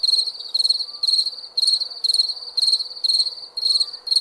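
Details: Night-time crickets give short, buzzy, high-pitched chirp bursts, each made of quick pulses and repeated roughly once per second, over a faint steady background hum.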